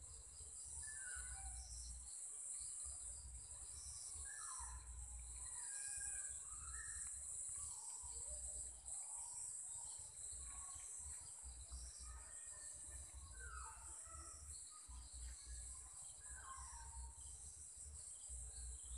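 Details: Insects give a steady, high, shrill chirping and buzzing chorus in Sri Lanka at about 7 pm, with scattered bird chirps beneath.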